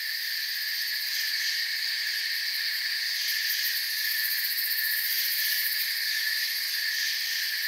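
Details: Crickets in a forest, a dense, steady chorus of high shrill chirping in several stacked bands, the uppermost layers pulsing rapidly and unbroken throughout, with no other clear sounds.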